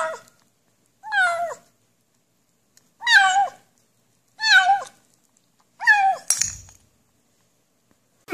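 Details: Cat meowing while eating, from a compilation of funny cats and kittens that seem to say "yum yum yum" or "nom nom nom": five wavering, bent meows, each about half a second long, arriving roughly every one and a half seconds, with a brief clatter near the end.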